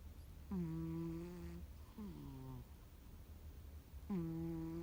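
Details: Gomataro, a sleeping cat, gives loud man-like 'guu guu' snores: three low buzzy breaths about a second each, the middle one weaker and sliding down in pitch, set against faint steady room noise.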